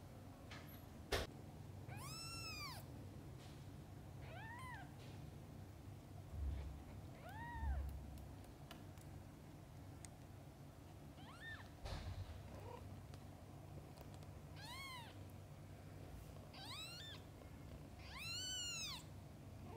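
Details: Mother cat and kittens: a series of rising-then-falling harmonic meows spaced every two to three seconds, some single and some paired, a few louder near the end, over a low constant hum with occasional thumps.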